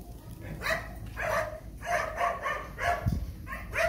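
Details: Phu Quoc Ridgeback dog reunited with a mate it had not seen in a long time, giving short, tonal, whine-like yelps in quick irregular bursts, about one per second, with a low thump near the end.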